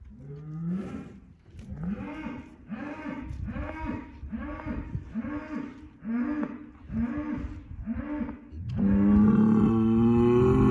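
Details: Angus bull calling across a barnyard to two rival bulls, showing he is boss; a rapid run of about eight short pulsed grunting moos, then a long rising bellow at the close.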